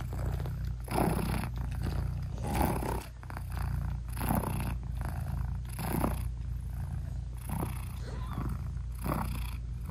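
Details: Nursing British Shorthair mother cat with her newborn kittens, eyes not yet open; a continuous low purr rises and falls with each breath, loud bursts recurring roughly every one to two seconds across ten seconds, no music.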